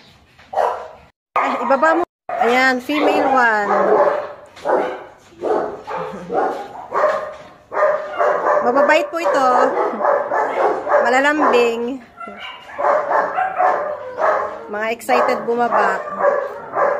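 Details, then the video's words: German Shepherd puppies at a kennel keep up a near-continuous chorus of wavering, whiny yelps and yips, pitch sliding up and down, with human voices likely mixed in. "German shepherd dogs (pups)"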